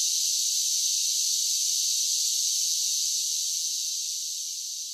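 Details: Summer cicada chorus, an unbroken sizzling high drone, even in pitch, easing slightly quieter over the final second or two; no other sounds present.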